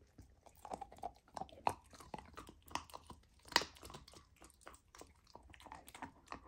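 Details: Raw lamb being chewed by Lilo, a golden retriever puppy fed a raw diet, trying it for the first time. Crisp, separate crunches and wet clicks arrive unevenly, about every two seconds, with one loud snap.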